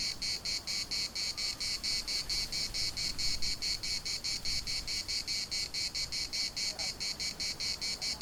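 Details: Cicadas singing in the municipal park of Larnaca: rapid rhythmic pulses of harsh buzzing, about two per second, steady and loud, with faint low rumble beneath.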